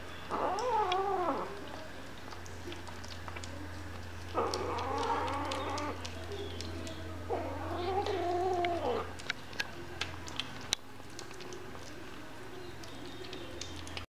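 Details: Three drawn-out meows from hungry kittens, each about one and a half seconds with a wavering, slightly falling pitch, spaced several seconds apart, followed by quieter clicks and rustling against a constant low electrical hum.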